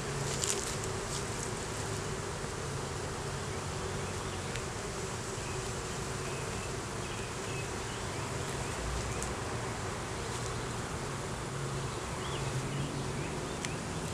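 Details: Steady, low hum of honey bees in an opened hive during a beekeeper's inspection, with a laying queen and honey found, recorded on a Canon Rebel T6 DSLR. Soft background hiss and an occasional faint tick.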